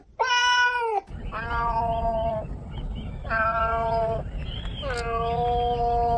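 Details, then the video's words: Domestic cats meowing: four drawn-out, steady-pitched, harmonically rich meows, each about one second long, the last one bending slightly upward, over a low background rumble. "Cats Meow 10 Minutes of Cats Making Meow Sounds"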